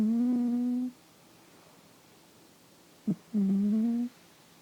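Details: Loud snoring from a pet cat asleep indoors, picked up by RØDE microphones: two steady, hum-like nasal tones, each under a second and slightly rising, spaced about two and a half seconds apart, with a faint click between them in a quiet room.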